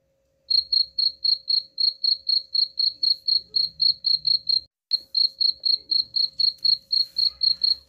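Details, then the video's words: Rat-repelling cricket sound: clear, shrill chirps repeating about four times a second, broken by one brief gap midway, over a low murmur and a faint constant hum. "suara jangkrik pengusir tikus ampuh"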